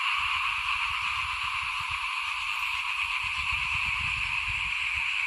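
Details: Frogs calling in front of a house at rice sowing time in 2021, a dense, unbroken chorus of many overlapping voices forming a steady high shimmering drone, with low irregular rumbling thumps underneath.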